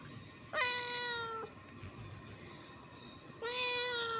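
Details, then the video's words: Hungry ginger kittens fighting over food, two loud harmonic meows about a second long, the first near 0.5 s and the second from about 3.4 s, steady drawn-out cries over a low background hum. "kittens fighting over food | hungry kittens"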